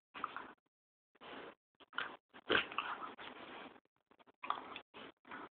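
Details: A big Alaskan malamute and a small Pomchi playing together; clusters of short, harsh, grunting growls and snorts in separate bursts, with one louder snarl in the middle.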